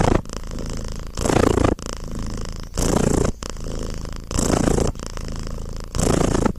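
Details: Close, rhythmic purring of a pet cat: a low buzzing rumble rising into stronger pulses about every 1.5 seconds, four or five surges, with nothing else audible.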